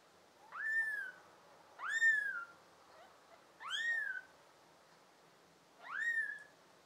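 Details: Pet kittens from a litter of five born to an American Shorthair and a tabby cat, filmed in June 2022, giving four high, arched, harmonic meows about every 1.8 seconds, each rising then sliding down, over a quiet indoor background.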